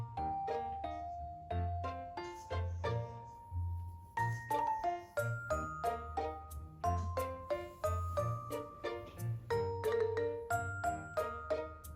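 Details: A gentle chiming music-box melody plays throughout, with no animal sound heard.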